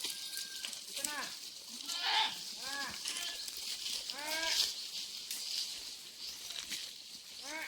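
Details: A herd of farm goats suffering thirst in very hot weather, out grazing in the afternoon; repeated quavering bleats from several animals overlap throughout, set against a steady high-pitched buzzing hiss.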